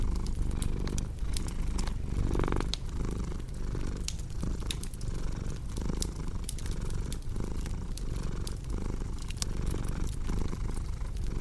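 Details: Cat purr by a cozy fireplace, a continuous deep vibrating drone with gentle breathing pulses, overlaid by frequent crisp crackles from burning logs.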